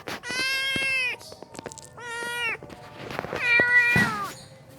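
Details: Abandoned stray kitten on the street, without its mother, calling in three drawn-out meows, lower and fuller, each falling slightly at the end, the last one loudest and most plaintive, with faint clicks and taps around them.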